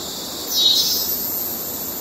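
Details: Cicada in Kerala wildlife, males giving courtship calls: a steady high-pitched electric buzz runs throughout, with one brief brighter swelling pulse just after the start.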